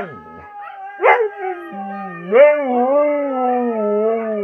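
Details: Siberian Husky howling: a short yelp, then a long, low, wavering howl that swells and holds, with a higher steady voice running alongside.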